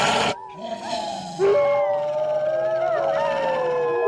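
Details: Eastern wolf, also called eastern timber wolf, howling: after a brief harsh burst at the start, several smooth, sustained tonal howls overlap, with one long clear note drifting slowly downward while other voices rise and waver around it.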